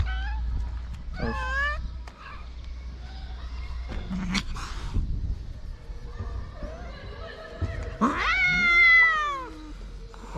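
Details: Hungry stray cats on a Moroccan street begging for food, giving several drawn-out harmonic meows, one long loud wavering meow near the end, with a man talking in Arabic and outdoor background noise.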